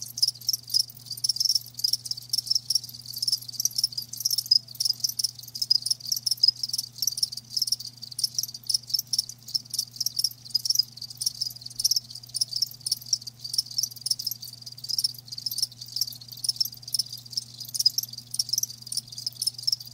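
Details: Live crickets chirp in a dense, continuous high-pitched chorus of rapid pulses, with overlapping callers throughout and a faint steady low hum underneath.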